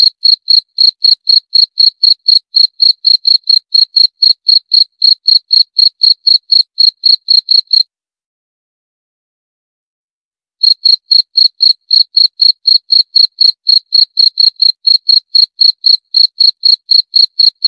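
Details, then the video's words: A long sequence of high, pulsing cricket chirps at about four per second breaks off for almost three seconds, then picks up again unchanged. The setting is otherwise silent. "11 Menit Suara Jangkrik - 11 Minutes Cricket Sound Effect"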